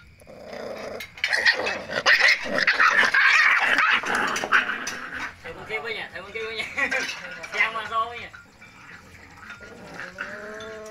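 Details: Several puppies at feeding time, crying in a dense chorus of high, wavering whines with short growls, then separate rising-falling yelps, among clinking dishes and a voice.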